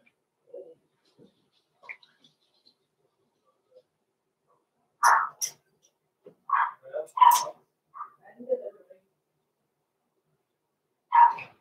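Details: Six-week-old Cavalier King Charles Spaniel puppies, blenheim, born November 14, 2022, in an indoor home pen: sharp, high puppy barks and yips at irregular intervals, a quick cluster of three, then one more after a pause, with faint quieter sounds between.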